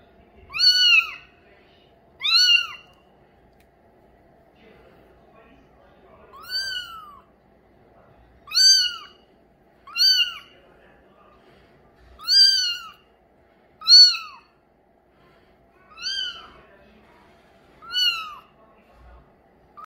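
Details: Persistent mewing by a light mink Bengal kitten, male, about a dozen short arched meows, often in quick pairs, with brief quiet gaps in an indoor space.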